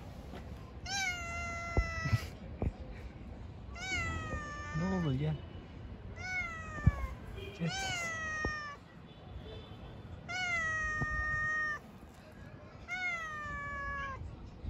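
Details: Pregnant stray cat living on the street, giving a series of long harmonic meows that rise then fall, about five calls spaced two to three seconds apart, with a person speaking softly and low street noise.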